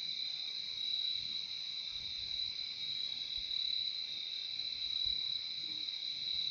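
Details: Relaxing sound of crickets: a constant shrill two-toned trilling that holds level from start to finish over quiet background hiss.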